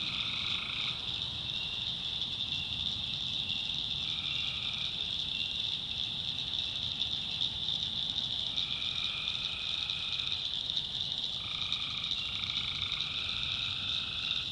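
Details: Tree frogs calling at night in a North Carolina backwoods swamp: a steady high insect-like drone with lower droning frog notes that come and go in bursts of a second or two, overlapping through the chorus.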